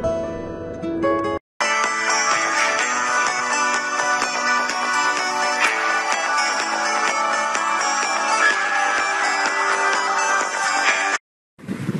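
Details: Bright guitar-driven music fills nearly the whole stretch, broken by two short silent gaps, and no animal sound can be picked out.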